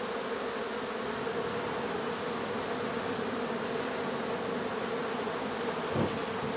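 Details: Honey bees from a hive being removed from an old renovated home in Donna, Texas. A steady, unbroken hum with hissy background noise is heard, and a single soft knock comes near the end.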